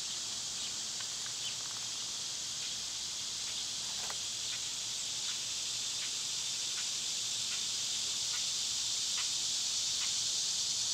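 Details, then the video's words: A steady, high-pitched summer cicada drone runs throughout, with a series of short, faint chips or ticks repeated about every half second to second beneath it. The buzz grows slightly louder toward the end. "Cicada sounds"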